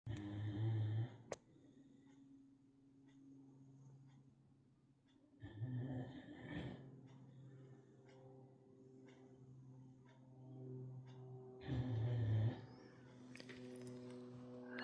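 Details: Sleeping Great Dane snoring: deep, low rumbling snores with a harmonic drone, in three louder bouts roughly every five to six seconds, separated by quieter steady breathing, with a brief sharp click near the start.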